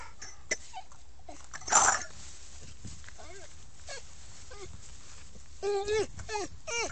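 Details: SAM, an American Staffordshire Terrier, gives short high whimpering whines: a few isolated thin cries early on, then a cluster of rising-and-falling whines near the end, with a brief rustling noise burst between them.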